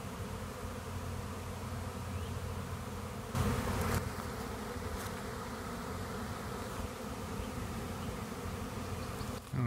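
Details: Many honeybees swarming into a trap and clustering on its outside; dense continuous low buzzing hum, with short rustling bursts around three to four seconds and again near five.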